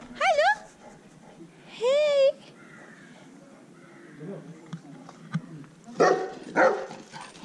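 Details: A dog, either a Siberian Husky or a St. Bernard (huskies howl rather than bark), gives wavering, yodel-like yowls, then a pair of short barks, with people talking quietly.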